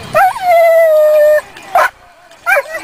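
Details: Excited female dog waiting to run a lure coursing course at a local dog event: one long, steady, high-pitched whine lasting over a second, then two sharp, short yips a little apart.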